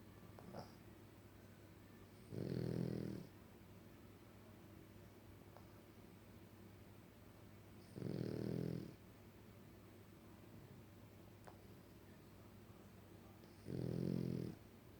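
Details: French Bulldog snoring indoors in a quiet room: three loud, low rasping snores about every five to six seconds, each lasting under a second, with steady faint background hum between them.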